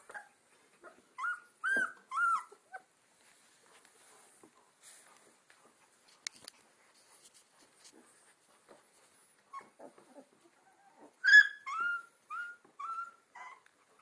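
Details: Alaskan Malamute puppies aged two weeks, from a litter named Sansa, Sorpresa, Spartacus and Swagger. Scattered short, squeaky whimpers come in small clusters with quiet gaps between them, ending in a louder string of rising and falling whines.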